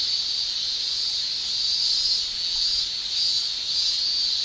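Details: High, even shrilling of male cicadas in a Japanese summer, tymbal song forming a seamless buzzy wall of sound that wavers only faintly in loudness.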